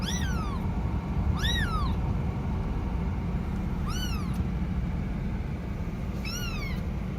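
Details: Cat; kitten meow; kitten calling its mother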